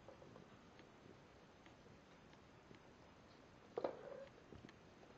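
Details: DRX kittens almost eight weeks old, playing in a hallway for the first time; a brief mid-pitched mew, slightly rising and then level, near the four-second mark, amid soft patter of paws and faint knocks in a quiet indoor room.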